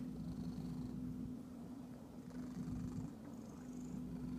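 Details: A domestic cat gives a steady, low rumbling purr that continues without a break, joined by a constant low hum throughout.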